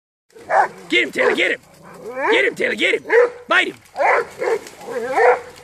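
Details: Rhodesian Ridgeback hunting hogs, giving a run of loud, high, yelping barks in quick bursts, each with a rising-falling tone; a person briefly says "good" afterwards.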